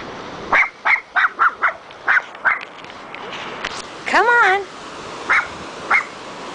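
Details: A Cairn Terrier meeting the ocean barks at the incoming waves in quick, high, sharp bursts, then gives a whining yelp.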